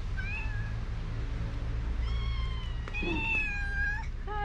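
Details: Mother cat and kitten, hungry, meowing loudly for food: a series of insistent tonal meows, short then longer and wavering, with a brief clatter and a final short mew, over a low hum.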